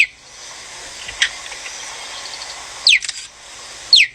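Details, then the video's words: A cheetah gives sharp, high, bird-like chirps, each sweeping quickly downward, three in about four seconds, with a faint steady hiss behind. "And now we have the fastest land mammal on Earth, the cheetah, which I would take seriously if they didn't sound like this."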